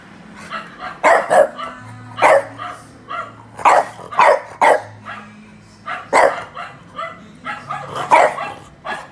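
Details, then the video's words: Barking from another dog played to Miki, a French bulldog, as a reaction test in Indonesia: loud barks, often in quick pairs, with short gaps between them and soft music beneath. "Coba dengerin suara bark dari anjing lain"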